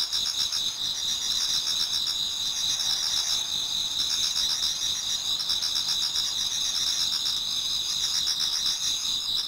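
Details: Dawn approaches in a Japanese garden as numerous autumn insects sing together, a thick bright wall of trills and ringing tones with fast rhythmic pulses roughly four each second, unbroken throughout.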